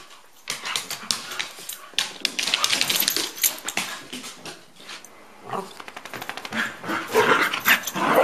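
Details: Two dogs, Rusty and Elliott the corgi, at play: dense bursts of sharp barks, growls and yips, rapid and irregular, overlapping and getting louder toward the end.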